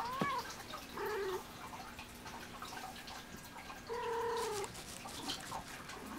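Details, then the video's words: Alie, a pet cat talking back while playing with a toy, gives a quick chirp then two drawn-out flat meows, the second lasting nearly a second, with rustling and clicks between them indoors. "Alie meowing like crazy and playing with toy"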